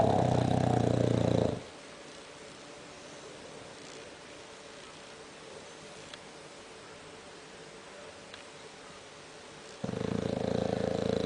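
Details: Bulldog snoring with a scary, rough sound: a loud, harsh rattling snore at the start and again near the end, separated by about eight seconds of quiet room hum.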